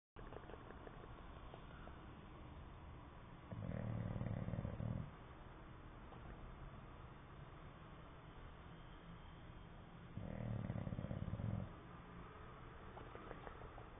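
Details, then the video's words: English Bulldog asleep, snoring with its lips flapping: two long, low, rattling snore bursts of about one and a half seconds each, roughly six seconds apart, with quiet breathing in between. "English bulldog snoring and flapping"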